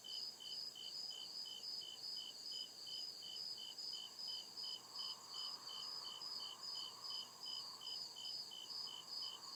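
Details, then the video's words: Crickets chirping through the night in deep woods: a repeated piercing pulse about 154 times per minute, steady throughout, backed by a continuous high drone and swelling low insect murmur. "CRICKET CHIRPING SOUND"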